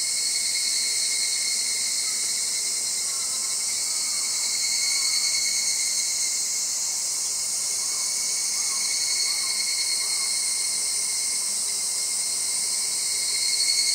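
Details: Cicadas give a loud, steady, high-pitched shrilling drone on Gaikotsu-yama on 8 August 2020; the background calls reportedly include no Minmin cicada.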